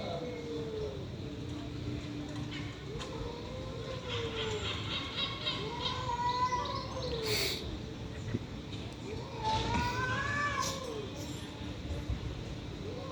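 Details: Stray cats in a fight trade rising-and-falling arched yowls, several swelling howls in a row with short gaps, plus a few brief sharp bursts and faint chirps over steady outdoor background noise.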